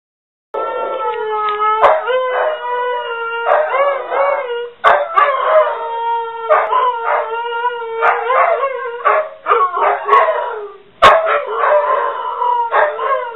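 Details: Two pet dogs, one named Ulla, croon together indoors in a home office when the phone rings, each trying to have the last note; sustained harmonic howls rise and fall, broken by short sharp barks and yips.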